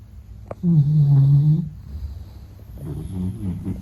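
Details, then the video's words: Meta (Gege), a Beagle, snoring while asleep: one loud low droning snore of about a second, followed by softer rattling breaths. "比格犬睡觉白噪声 Snoring"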